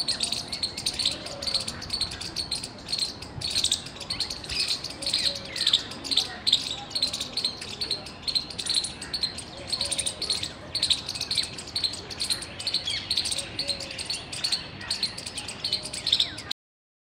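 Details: Loud chirping from a squirrel on 17 February 2021, a long unbroken run of crisp high chips repeated several times each second, some faint lower bird calls mixed in, ending abruptly.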